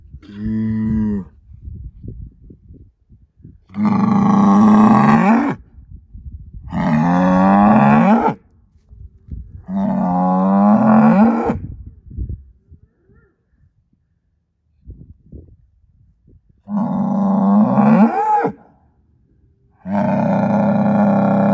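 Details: Angus herd sire bull, son of SAV Harvestor 0338 and born spring 2018, repeatedly bellows with long wavering moos of rising and falling pitch, about every three seconds, after a short opening call, with faint shuffling between.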